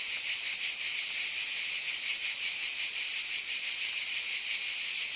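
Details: Many cicadas calling together on a summer night, producing a steady, piercing high-pitched drone with subtle fast pulses and no pauses.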